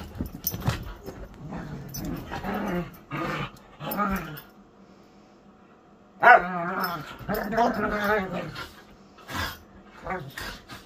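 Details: Playing whippets trade scattered growls and short yips, then a burst of wavering, tonal growling vocalisation around six to eight seconds, with a human voice mixed into parts of the sequence.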